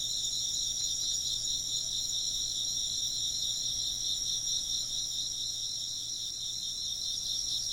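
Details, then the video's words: Chirping insects fill the air with layered, ringing high trills, the lowest band throbbing in quick regular pulses, the whole chorus unbroken and even in loudness. "風鈴の音と虫の声 - wind chimes and chirping insects"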